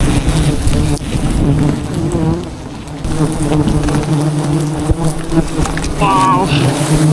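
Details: Wild bees at a forest hive in Cambodia during a traditional honey harvest; a dense, steady low droning hum of many bees, with faint rustling and brief higher tones late on.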